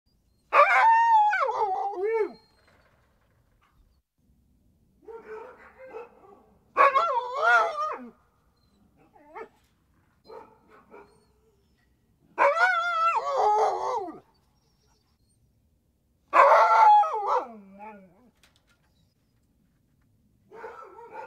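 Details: Siberian Husky gives drawn-out wavering howls and yodel-like whines, rising and falling in pitch, in separate bursts of one to two seconds with quiet gaps between, over a clean silent background.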